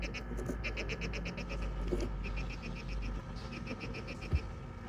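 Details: Two hermit crabs squabble over a shell, giving rapid, cricket-like chirps in short pulsed bursts; the owner believes the sound threatens enemies and rivals.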